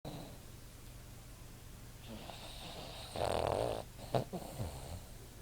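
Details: Winston, a Boston Terrier sleeping against a person, recorded on an iPod as he snores: a low steady hum, then one rough buzzing snore followed by short snorting breaths.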